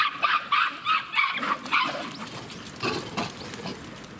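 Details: Captive Japanese macaques at Kamine Zoo, Ibaraki, Japan, at breakfast time on 21 October 2017: a quick run of short, harmonic, squealing calls over the first two seconds, then quieter scattered noises.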